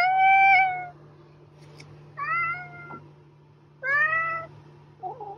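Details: A cat gives three clear meows, each under a second long, spaced about two seconds apart, the first level and strong, the later ones slightly rising. A short soft chirp follows, with a faint constant hum behind.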